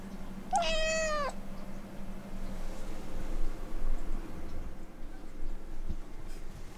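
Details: One of the Siberian Forest Cat sisters, Kitsune or Maneki, begs to go out to play in the yard with one loud, rising-then-flat meow under a second long. After it there is quiet room noise with a low hum.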